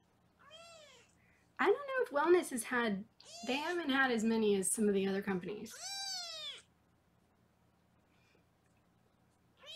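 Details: Foster kittens in Los Angeles during weighing: two high, drawn-out, arching mews, one near the start and one later, with a woman talking in between in a small indoor room.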